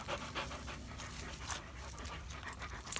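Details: German Shepherd named Odin, just told to sit, with boxer Samson nearby: quick breathy panting in steady rhythmic bursts about four per second over a low rumbling background.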